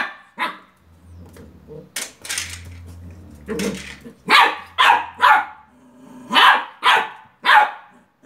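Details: A Beagle puppy barks at a toy car, each bark short, sharp, high and yappy in uneven bursts about twice a second, over a low mechanical hum with a few brief human voices and laughter early on.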